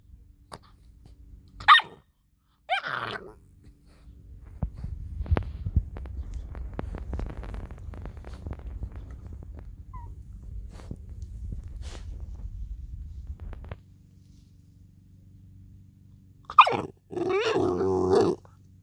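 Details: American Staffordshire Terrier puppy, ten weeks old, playing with a stone: two short yelps early on, a long stretch of scraping, rumbling noise, then a burst of loud, harsh barks at the end.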